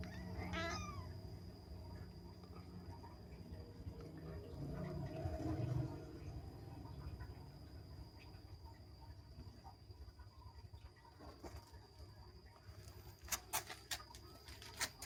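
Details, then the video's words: Playing kitten gives one rising, harmonic meow near the start, then a long stretch of low room rumble with soft rustles and a few sharp clicks toward the end. "ANAK KUCING MEONG MEONG, ANAK KUCING SEDANG BERMAIN"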